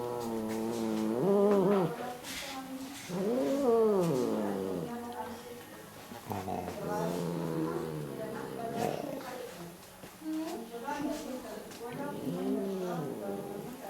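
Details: Female cat living in an animal shelter in Germany, "talking" grumpily as she habitually comments on things she dislikes: a run of drawn-out, rising-then-falling harmonic meows and moans, several in quick succession, over steady background hiss.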